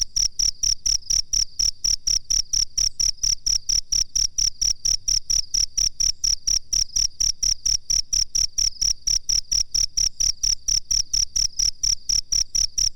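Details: Cricket chirping on a master recording used for training songbirds, a steady run of short, high, ringing pulses, about four or five each second, with a faint low hum underneath throughout.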